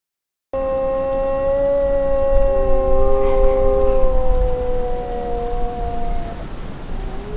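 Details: Wolves howling together in long, steady, overlapping tones that hold level and slowly glide, with one voice entering lower partway through, over a constant hiss like rain.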